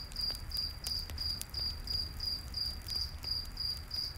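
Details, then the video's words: Night-forest cricket chirping near a campfire, with short bright chirps repeating about three times a second in an even rhythm. Scattered fire crackles and a soft low roar sit beneath. "Campfire In The Night Forest w/ Cricket Sounds"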